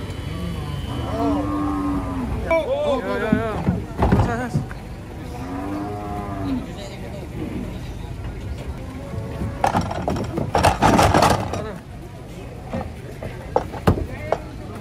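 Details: Large cattle being unloaded from a truck ahead of the Eid holiday. Several drawn-out, wavering moos rise and fall, with two long calls early on. Background music plays throughout, with people talking and clattering knocks near the end.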